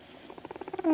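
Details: Pet guinea pig, kept indoors and making noises while videos play, gives a short low throbbing rumble of about a dozen quick pulses that speed up and grow louder, ending in a brief squeak.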